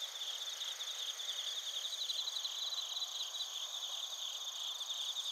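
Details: Crickets, suzumushi and field crickets, calling at Narita in Chiba Prefecture, Japan, on a TASCAM Portacapture X8 recorder; layered high ringing tones with quick beaded chirp pulses running steadily across the clip.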